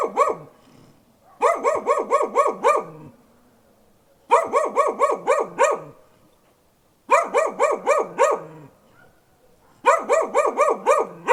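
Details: Dog barking in four quick bursts, each of about six or seven sharp, evenly spaced barks, with short silent gaps between bursts.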